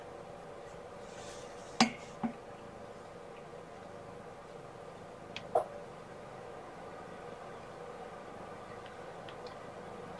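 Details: Quiet indoor room tone with a faint steady hum, broken by three short sharp clicks or taps near the start and middle; no animal calls are heard.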